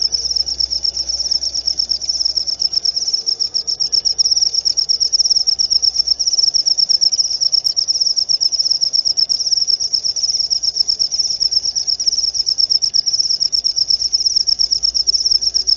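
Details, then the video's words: A single cricket chirps loudly and continuously, a piercing high trill of fast regular pulses grouped in short bursts, with only faint low hum behind it. "Suara Jangkrik"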